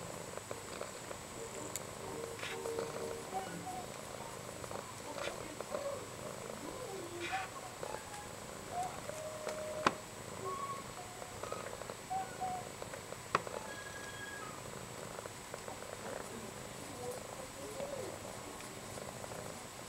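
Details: Indoors on a quiet grey Saturday, a domestic cat's gentle snoring: low, breathy pulses about every two and a half seconds, with soft background voices and a thin constant high tone.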